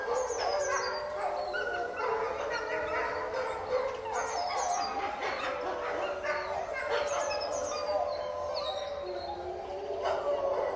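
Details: A pack of caged wolves howls while fighting, many voices layered into a steady chorus of long wavering howls, punctuated by quick high yips and squeals that slide up and down throughout.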